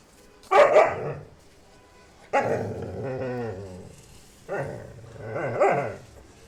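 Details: Labrador retriever puppies at a dog kennel: three loud, harsh barks about two seconds apart, the second and third stretched into rough, growling, whining drawls, with quiet pauses between.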